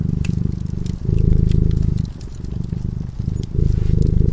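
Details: A sleeping cat beside a fireplace gives a continuous low rumbling purr that alternates between stronger and quieter stretches, with light snaps and crackles from the flames throughout.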